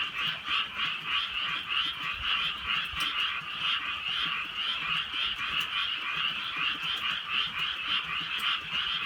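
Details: Frogs calling on a drizzly rural night: a dense, unbroken croaking chorus throbbing in quick pulses, with scattered sharp ticks of raindrops over the steady wall of sound.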